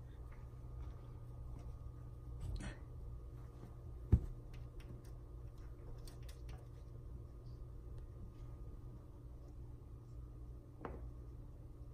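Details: Quiet indoor hum with a few soft taps and one sharp knock, with no animal voice heard.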